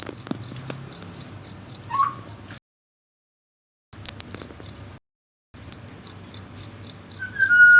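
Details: Cricket chirping at night: a steady train of high, thin pulses, about four per second, broken by two short silent gaps, with faint low rumble beneath.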